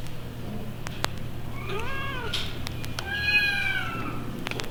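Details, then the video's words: Kittens at a 1960s animal pound mew from old vinyl: a quieter arched cry near two seconds, then a longer, stronger falling meow after three seconds, with scattered clicks and a constant low electrical hum beneath. "1960's Kittens Animal Pound Sound Effect"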